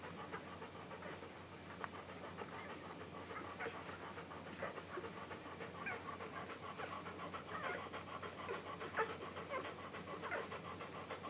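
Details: English Golden Retriever puppies just under one week old, nursing, filmed July 15, 2012, make soft, continuous suckling noises, snuffles and tiny squeaks alongside steady panting.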